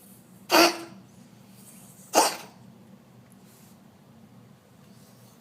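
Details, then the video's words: Cat coughing: two harsh, explosive bursts about a second and a half apart, each a short rasping expulsion of air, with a third cough just beginning at the end, over a quiet, low background hum. "Coughing cat"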